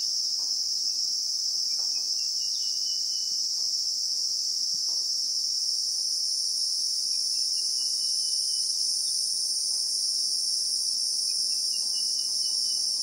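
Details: Unbroken high-pitched shrilling of Christmas beetles (Anoplognathus) in the South African bushveld, recorded in real time among acacias, with faint dotted bird trills drifting in and out and occasional soft clicks below.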